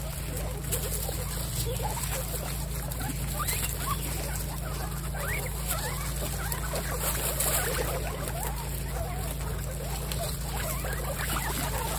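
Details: A group of kept guinea pigs, part of a herd of 28, keeps up a dense, continuous patter of soft chirps and quick rising squeaks that layer over one another throughout, with a constant low hum underneath.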